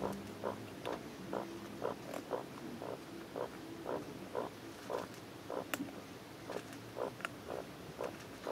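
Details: Newborn Maine Coon kittens in a Russian cattery in Saint Petersburg make brief, clipped squeaking grunts repeated about twice a second, fairly even and low in volume, with faint clicks and rustles.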